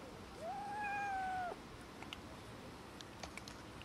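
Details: Domestic cats and kitten squabbling over food; one clear drawn-out meow of about a second, rising sharply, holding a steady tone, then dipping at the end, followed by soft clicking and tapping noises.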